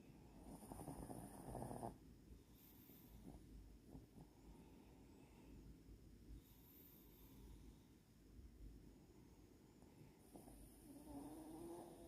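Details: Latte, a pet dog, snores while asleep: low rumbling breaths with buzzy rasps at the opening and closing seconds, softer snuffling breathing in between, quiet room.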